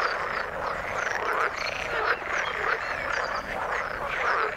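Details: Frogs calling in the water: a dense chorus of rapid, overlapping croaks and trills, with short rising chirps scattered throughout and no pause.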